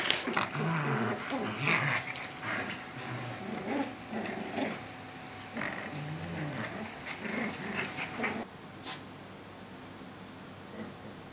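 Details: Two Cavalier King Charles Spaniels, adult Qualia and new 10-week-old puppy Niki, together: low rumbling growls mixed with short whining whimpers through the first eight seconds, then a quieter stretch with faint background sounds.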